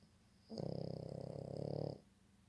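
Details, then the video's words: Sleeping dog snores indoors in one drawn-out, rattling breath of about one and a half seconds, made of rapid, even pulses, with a faint high whine running through it and quiet room noise around it. "dog snoring"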